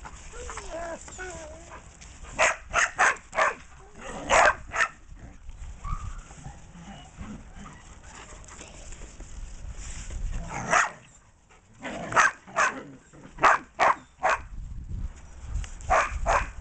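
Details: Dog behind a fence barking in short bursts of sharp, clipped barks, several quick runs separated by pauses, with a person's voice and low background noise in between.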